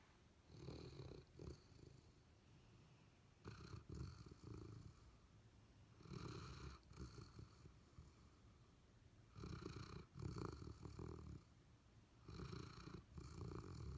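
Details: Abundant Joy, a Golden Retriever, and Tupelo Honey, a Labrador Retriever, sleep and dream inside a house. Heavy, low, growly snores come in clusters of one to two seconds, separated by quieter breathing.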